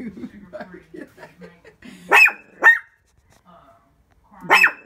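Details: A woman speaks softly at first, then a pet Shih Tzu lets out two quick high barks in a row and, after a short pause, one more, directed at its own reflection in a window.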